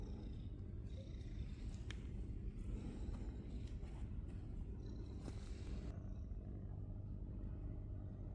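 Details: Gray-furred male stray cat on Cat Island, met again after months in his same spot, purring: a steady low continuous rumble throughout, with brief scattered clicks and rustling handling noises on top.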